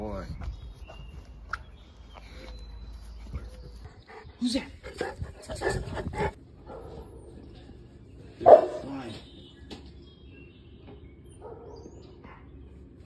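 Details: Boerboels, including a seven-month-old male, charging at a deer and protecting home; a few deep, loud barks in bursts midway and one sharp bark later, mixed with a person's speech and quiet gaps.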